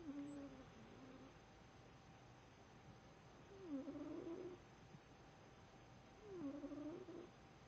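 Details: Emmy, a domestic cat, snoring: three whistling, nasal snore breaths roughly every three seconds, each a short wavering tone that dips and rises, over a faint steady hum in a quiet room.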